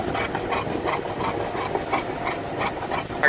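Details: Olde English Bulldog riding in a car on a sunny day, drooling: quick rhythmic panting breaths, roughly four per second, with steady road and engine rumble underneath.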